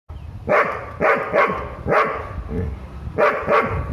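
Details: Doberman barking as it senses a threat: six sharp, loud barks in quick pairs and singles over four seconds, with faint music underneath.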